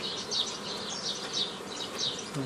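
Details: Honey bees buzzing while a beekeeper forms nucleus colonies in the old style from a previously formed forager swarm, 15 May 2018; a dense, steady hum with shifting higher whines from bees flying close by.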